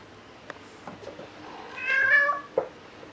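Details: Indoor play-chase between rescue cats Angel and Luna, Angel roughly four months old, 15 December 2018: one clear drawn-out harmonic meow swelling and falling, bracketed by light taps and paw noises in a quiet room.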